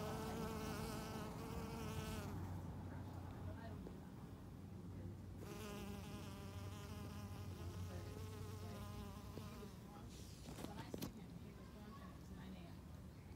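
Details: Bees pollinating mint flowers give a steady droning buzz with a clear harmonic hum that swells and fades as individuals pass close, quieter gaps between, over a low rumbling background.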